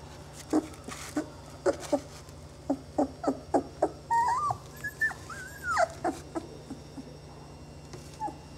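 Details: Saluki puppies from a litter, 20 days old, give a run of short sharp yelps, then rising and falling squealing whines near the middle, with quieter whimpers trailing off at the end.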